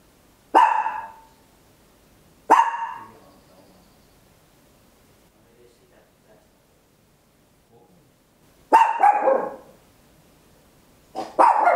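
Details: Loud barking from a small Papillon dog at home, stereo handheld recording; two quick sharp barks, a long pause, then a longer double bark and a final bark at the end.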